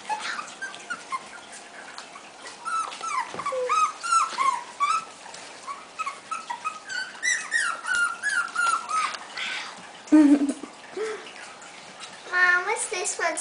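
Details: Five-week-old Havanese puppies indoors, several together, giving many short high whiny whimpers and squeaky yelps in overlapping bursts, with a louder squeal near the end and a person talking softly.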